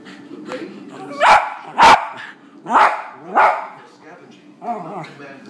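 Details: Westie barking at dogs shown on TV, five sharp barks spaced unevenly, the first two loudest, over a murmur of television voices.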